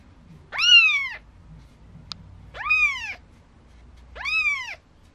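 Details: Maine Coon kitten aged four days at a cattery in Tokyo, crying three clear, high-pitched mews about every two seconds, each arched and tapering downward, in an otherwise quiet room.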